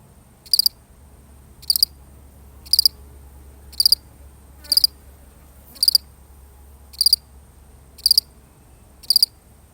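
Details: Single lonely cricket chirping alone: nine sharp, high pulsed chirps repeat roughly every second with steady spacing, and a faint brief sweep appears midway against a low hum.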